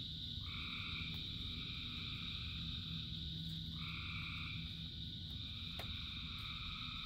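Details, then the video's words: Frogs calling in rain, thousands singing together: a dense, steady high trill under stacked chorus bands that swell on and off in two long bursts, over a constant low rain rumble with scattered drip clicks. "Frogs in Rain 2 Hours of Frogs, Thousands of Frogs Singing"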